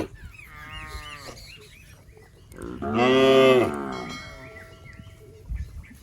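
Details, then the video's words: Fat, tame cattle in a rice paddy eating grass: a softer short low call, then a strong, swelling moo lasting over a second, with small chirping sounds in the background. "Suara Sapi Moo"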